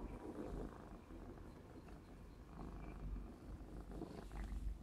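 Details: Black smoke Maine Coon kitten Clarence, aged 4½ months, purring during play; deep continuous rumbling dominates, with soft rustling bursts over it.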